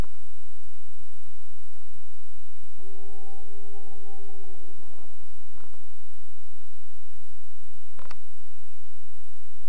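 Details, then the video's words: A single wolf howls in the Boundary Waters Canoe Area Wilderness during a fishing trip, giving one sustained, level, mournful note of about three seconds that fades out, with a steady low rumble and a brief click afterwards. "Wolves Howling In The BWCAW"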